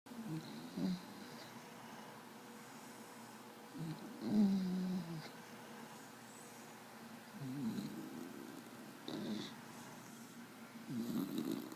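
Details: Desi the dog snoring in sleep: low, rough rumbling snores come in short bursts roughly every three to four seconds, with quiet breathing between them and a faint high hiss in the background.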